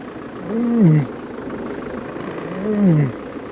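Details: At sunrise on a June 9, 2016 safari drive, a Nkhuma lioness searching for one of her pride gives two low, moaning contact calls about two seconds apart, each swelling then sliding downward, over faint steady hum.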